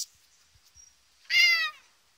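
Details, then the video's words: Bengal cat giving one clear, loud meow of about half a second, bright and harmonic with a slight downward slide, after a few soft clicks and a short thin whistle-like tone. "Bengal cat meowing"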